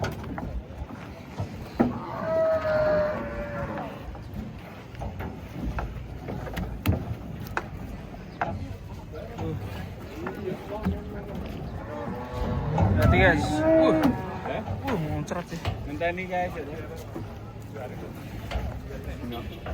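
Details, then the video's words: Cattle being unloaded from a truck give drawn-out harmonic moos, one near the start and another two-thirds through, over steady people's chatter, clattering and vehicle rumble. "KUMPULAN SAPI LUCU UNIK TURUN DARI TRUK"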